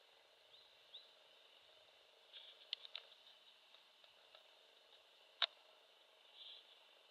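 A grey bush-cricket sings a thin, high, steady buzz, with a few sharp clicks in the background.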